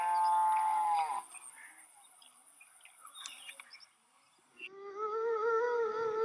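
A cow lows twice: a drawn-out moo, a quiet pause, then a second rising, wavering moo. A thin, steady high whine runs beneath.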